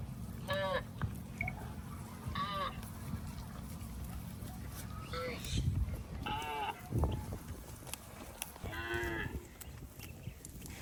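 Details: Cows walking through water in rice fields, mooing in about five drawn-out, harmonic-rich calls spread across the stretch, with a steady low rumble and splashing in the background.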